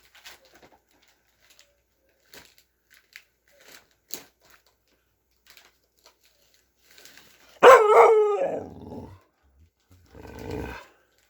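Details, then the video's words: Dog vocalizing while playing indoors: soft taps and shuffles, then one loud, drawn-out howling bark that sags downward in pitch, followed by a shorter, rough grumbling groan. "Watch This Dog Get HILARIOUSLY Vocal While Playing"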